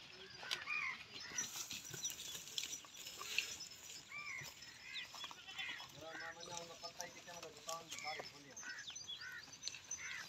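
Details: In Pakistan, a big Pahari goat lets out a run of shaky, tremulous bleats midway through, with human speech and faint hiss in the background.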